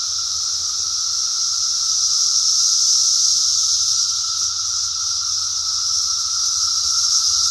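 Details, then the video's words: Cicadas singing in 2021, a steady, high, hissing drone that holds unbroken throughout, with a faint lower whine running beneath it. "Cicada Song 2021"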